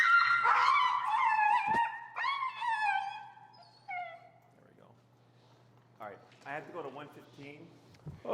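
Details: Finnegan, a very vocal feral husky objecting to heel training and leash pressure, lets out drawn-out descending howls with yodeling breaks, then a softer pause before a trainer's voice and further grumbling yips; a faint hum runs underneath.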